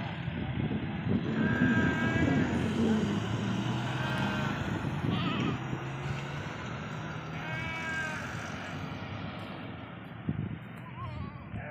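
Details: Goats bleating at a goat farm in Ajmer: a few wavering, harmonic bleats near 1.5, 4 and 8 seconds over a steady engine rumble and low background voices.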